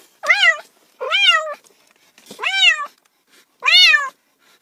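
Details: Cat giving four quick meows, each a bright, slightly rising and falling mew of about half a second, evenly spaced in an otherwise silent room.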